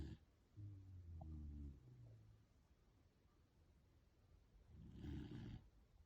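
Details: A corgi snoring while pulling a funny face: a soft, low droning snore that lasts about a second, then a fainter tail, and later a second rougher, breathier snore. The recording is otherwise quiet.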